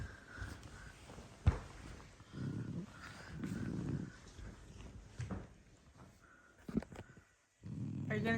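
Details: A female French Bulldog sleeping during the day after a restless night snores in low, rasping bursts while a person talks softly.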